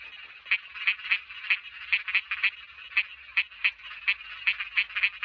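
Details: Small frog calling: short raspy croaks centred mid-high, repeated quickly about three times a second in an uneven chorus, with faint low background rumble.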